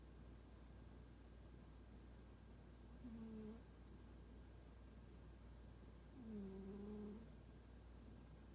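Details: Soft snoring from Toraji, an unfriendly domestic cat fast asleep: two drawn-out, low whistled puffs about three seconds apart, each faintly wavering, over a constant low-pitched room hum.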